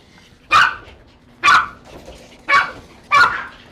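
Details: Loud barking from a dog during grooming at a Tampa salon, previously measured near 110 decibels: four sharp, piercing barks spaced about a second apart over quiet room noise.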